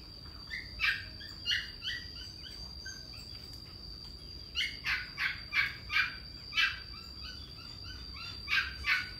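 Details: Young male German Shepherd barking in harsh, rapid bursts, some single and some in quick runs of three or four, with a steady high electrical whine throughout.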